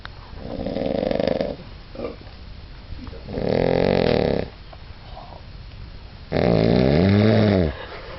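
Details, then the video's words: Bob, a dog, snores steadily: three loud, buzzy, drawn-out breaths of about a second each, spaced roughly two and a half seconds apart, the last wavering in pitch, with quiet pauses between. "schnarchender Bob"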